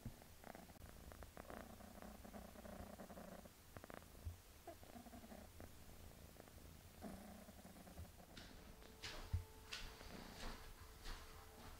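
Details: Mother cat Melania bathing her kitten daughter Pinky indoors: low, rumbling purr in rhythmic bursts over most of the stretch, mixed with soft licking and rustling, and a faint steady tone toward the end.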